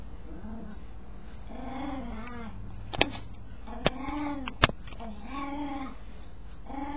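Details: A dog scratching itself while uttering strange arched moans, several rising-falling harmonic groans, with three sharp clicking knocks in the middle, likely from the scratching, and low steady hum beneath.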